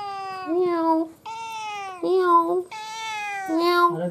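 A domestic cat gives four drawn-out, nasal meows in quick succession, each sliding and wavering in pitch, about one per second.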